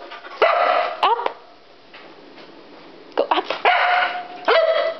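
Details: Agitated Siberian Husky Iris, upset at being left behind during a PetSmart trip, lets out sharp yips and sliding whines grouped into bursts separated by a quieter pause, indoors.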